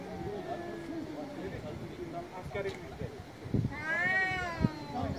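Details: Male cat meowing loudly on an Istanbul street in Turkey; a faint low whine early on, street murmur and thuds, then one prominent wavering meow near the end.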